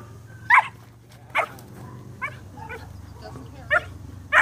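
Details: Twelve-week-old German Shepherd puppy during rag and bite work, giving short sharp high barks in scattered bursts about a second apart, with a steady low background hum and some voices.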